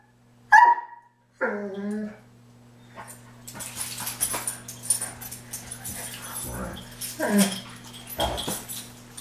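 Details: A pair of Dobermans squabble over who gets the cooling pad the other is lying on in early hot weather. Two loud, sharp barks open the clip, followed by rustling, scuffling play-fight noise and soft grumbles above a constant low hum.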